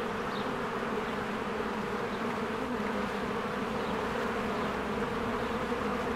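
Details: Spring beehive with honeybees streaming in and out, giving a full, even buzzing hum that never pauses, a single faint high bird note near the start.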